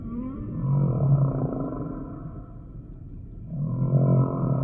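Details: Humpback whale song sample: two deep, rough, pulsed groans with a roaring quality, each lasting about a second and a half, separated by a softer wavering moan.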